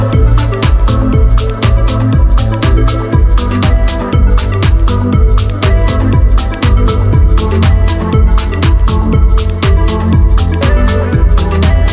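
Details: Loud Afrobeat-style music with a heavy bass beat and steady percussion, no animal sound present.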